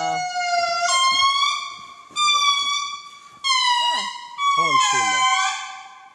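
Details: Indri (Indri indri) song near Andasibe, Madagascar, in the national park at Analamazaotra: loud, sustained wailing notes rich in harmonics, sliding and stepping down in long cries.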